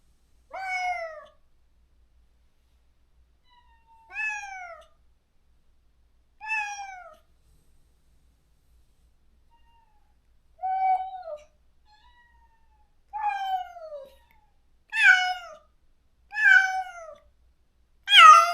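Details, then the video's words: Stray cat in a countryside yard, recently neutered, crying daily for a companion it was separated from: eight drawn-out, downward-sliding meows spaced about two seconds apart, growing louder and harsher toward the end, with silence between. "중성화 수술 후… 강제로 헤어진 단짝을 찾아 매일 울부짖는 고양이"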